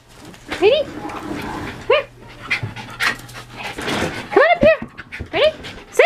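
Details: Rockafeller, a young male Miniature Smooth Dachshund up for adoption, gives short arched yips and whines, scattered singly then bunched in quick pairs toward the end, amid breathy panting and human voices.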